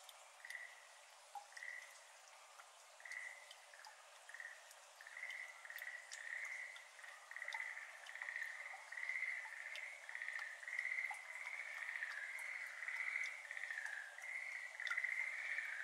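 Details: Schlegel's green tree frogs in a flooded iris garden in Japan, May evening, heard at some distance: short soft trilled croaks repeated about twice a second, building into a denser chorus, with scattered water drops falling.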